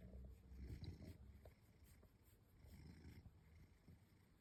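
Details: Domestic cat enjoying its nightly scratching at home, giving a low pulsing purr that is strongest in the first second and softens afterwards, with faint rubbing noises.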